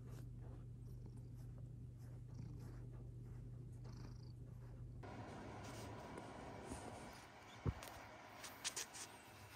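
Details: Low, even purring from Kinta, a former street boss cat with FIV-related throat inflammation, now moved to a room of his own; the purr runs about five seconds before giving way to handling noise and a few knocks.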